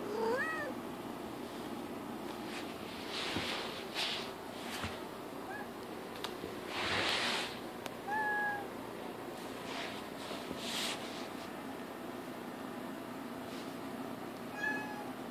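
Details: Young female kitten indoors meowing as she sits up, looks around, sniffs the floor and walks to rub against a folding chair; short meows near the start and around eight and fourteen seconds, with rustling and movement noises between.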